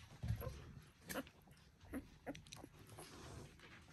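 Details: One-week-old Border Collie puppies of the "U2" litter, from Selen and Max, give short high squeaks, about four of them spaced irregularly across a few seconds, over soft low rustling and thumps indoors.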